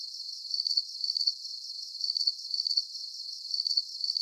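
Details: Steady cricket chirping, each chirp a quick high pulsed trill, recurring at a regular pace of roughly two per second against a faint constant background hiss.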